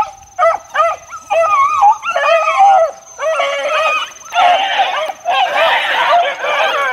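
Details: Four-month-old Beagle pups being worked in the wild, giving a steady run of high, arched, bell-like bays, closely spaced and overlapping into a continuous chorus after a few seconds.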